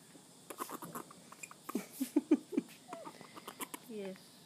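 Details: Juvenile grey-headed flying-fox named Callum, in care, protesting while his forearm is measured for a weekly growth check; short squeaky chattering notes in a quick burst, then a wavering squeal, with a person speaking softly.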